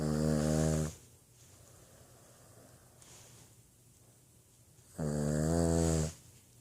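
A Boston Terrier snores in loud, rattling bursts separated by quiet breathing pauses.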